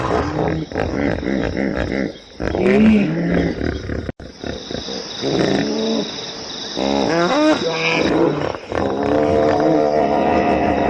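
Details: Hippopotamus calling with a run of deep, harmonic honks and grunts. Several call bursts are broken by a short silent gap, and a rapid series of rising, wheezy pulses follows near the end.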